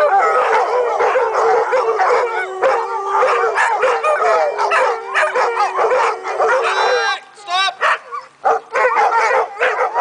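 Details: Dogs in a pack howl and yip in a dense overlapping chorus, one long steady tone held beneath, before the group breaks into short rising yelps and gaps near the end.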